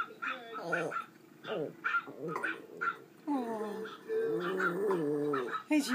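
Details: A male pet Pomeranian breaks into a drawn-out, wavering howl in the second half after short yelping notes, with a person talking over the start.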